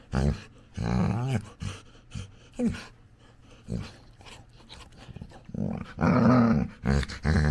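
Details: Female Labrador Retriever puppy making funny noises while playing with her owner: low, rough growling grunts in short bursts separated by quiet gaps, rising to a longer, louder whiny growl near the end.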